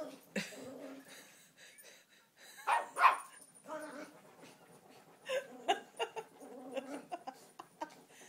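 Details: A female Maltese puppy digging and rolling in couch cushions gives short, high, rough growls broken by yappy little barks, while a woman talks.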